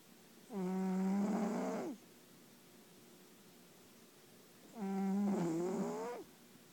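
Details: A Bengal cat snores loudly with a low, buzzy, humming drone on each breath. Each snore lasts well over a second and returns about four seconds later, with quiet between them.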